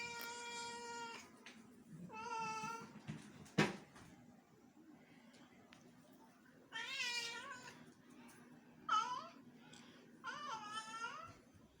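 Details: Domestic cat in Bangalore, India, calling while attempting to befriend a house lizard indoors: a series of bright, tonal meows, several long and wavering, one sharp knock midway, a low background hum throughout.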